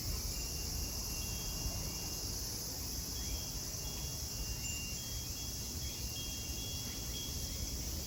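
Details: At Kozoji Temple (Takakura Kannon) in Kisarazu, Chiba prefecture, Japan, a continuous shrill cicada drone fills the air while soft, clear chime tones ring now and then above a low background rumble.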